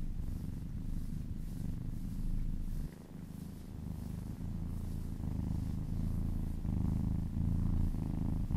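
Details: Happy kitten purring during a relaxing massage, a continuous low rumble in pulsing rhythm, dipping briefly after three seconds then swelling louder with rubbing sounds on top.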